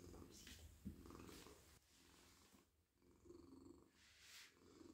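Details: Very friendly male cat purring as he is petted in a lap; low, pulsing rumble with breathy cycles, interrupted by rustles and a quieter stretch midway, then resuming.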